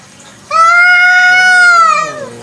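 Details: Free-roaming village cat heard at night with one long, loud meow held nearly two seconds, steady in pitch and then sliding down as it fades.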